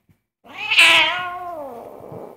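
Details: Very angry cat complaining while food is cooked, giving a single loud, bright meow that jumps up sharply and then slides slowly downward, trailing off, in a quiet room.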